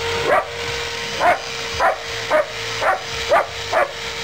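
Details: Barking from a German Shepherd engaged in rough play: seven punchy barks spaced unevenly across four seconds, with a constant tonal hum underneath.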